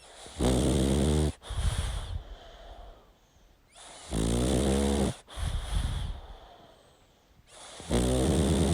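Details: Sleeping pug snoring loudly: harsh, rattling inhalations of about a second each, repeated every three to four seconds, with softer wheezy exhales between them.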